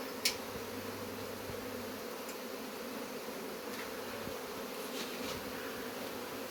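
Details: Many honey bees hum loudly and unbrokenly as their hive is taken out, a steady buzzing mass with one sharp tap near the start and faint rustles later.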